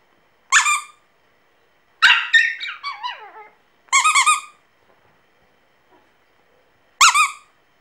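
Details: An orange Pomeranian puppy "sings" with high, harmonic yelps and a long, wavering howl that slides downward.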